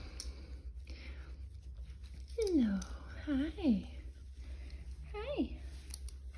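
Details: Six-week-old miniature schnauzer puppy, from a breeder's Kizzy/Teo litter, gives a few short whining cries that slide downward in pitch, spaced about a second apart, over a steady low hum with faint background noise.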